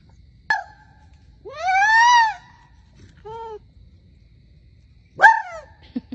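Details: A male red fox, fluffing up for winter, gives harsh, scream-like alarm barks at an unfamiliar male fox roaming his enrichment yard; each bark is a loud, rising-and-falling shriek with strained harmonics.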